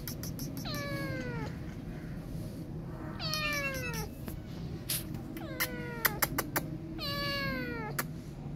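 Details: Scared kitten left alone after its mother cat went away, refusing to be touched, gives four loud, drawn-out descending meows, each a falling wail, spaced about two seconds apart, with sharp clicks and handling noises between them and low background rumble.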